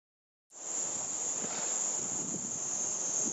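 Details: In Japanese summer 2014, a cicada sings an intense, continuous shrill buzz, reportedly over 120 dB, holding one piercing high pitch throughout, with a faint hiss of background noise beneath the unbroken whine.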